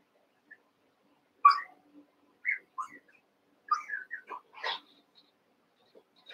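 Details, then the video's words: Young Cavalier King Charles Spaniel puppies wrestling together in a pen, eight littermates at play: a quiet string of short, separate squeaky yips and whimpers, about eight over six seconds, uneven in pitch. "One Month Old Cavalier Puppies Wrestle and Play"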